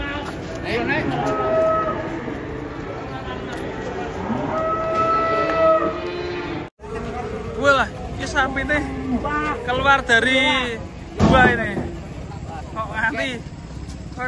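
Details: Angry cow after coming down off a truck and charging into a roadside food stall: long, steady, drawn-out lowing in the first half, then excited human shouting and chatter over the bellows.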